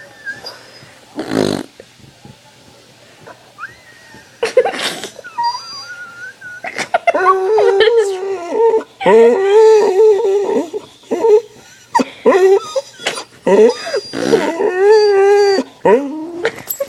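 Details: Dog whining in response to a person making fart sounds indoors: after a few broad blown bursts, long wavering tonal whines with stacked harmonics run almost continuously in uneven pulses, rising and falling.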